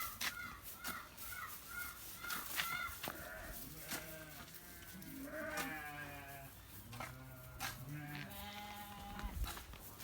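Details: Santa Inês sheep, an elite animal of the breed, giving a run of short, quick bleats, then longer, lower, wavering bleats, with a person giving handling commands in Portuguese.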